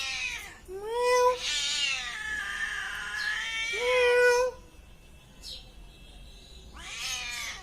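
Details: Long, loud cat yowls: a rising harmonic opening that swells into a harsh, sustained wail lasting several seconds, followed by quiet and another rough cry at the close.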